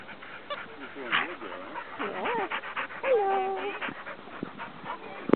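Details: Dutch, a foster pit bull, playing with a Bernese Mountain Dog puppy: wavering, high whiny yips and squeals that bend up and down in short bursts, mixed with a person's voice and soft shuffling noises.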